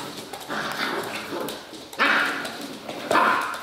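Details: Five-and-a-half-week-old Serbian Mastiff puppies: two sharp, loud yelping whines about a second apart, rising then falling, after a stretch of softer rustling and scuffing.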